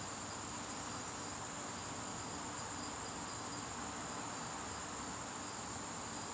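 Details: Crickets in a garden during September evenings, one even high-pitched trill running unbroken from start to finish against a steady wash of broadband background noise.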